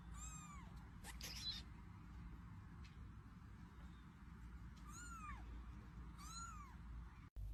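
Guinea pigs give short, arched, squealing calls with rich overtones over a steady low rumble.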